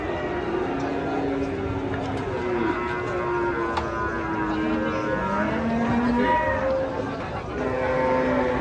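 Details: Enraged cattle before a large, noisy crowd of spectators: several overlapping moos, some level and some rising in pitch, under continuous shouting and chatter.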